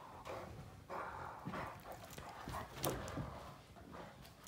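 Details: Two male Great Danes, Finn and Magic, mouth fighting in play while Finn tries to dominate Magic: raspy growling rumbles in uneven bursts, broken by sharp clacks and thumps of the scuffle.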